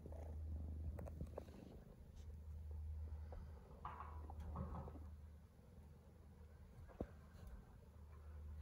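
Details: Homeless female stray kitten purring in a low, steady, pulsing rumble throughout, with brief rustles and handling noises partway through.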